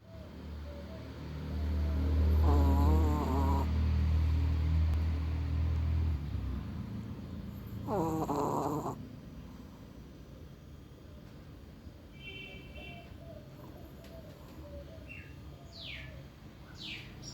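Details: Sleeping female Chihuahua snoring: a long low rumbling snore for about four seconds, then a shorter nasal snort near eight seconds, with faint bird chirps and a steady background hum.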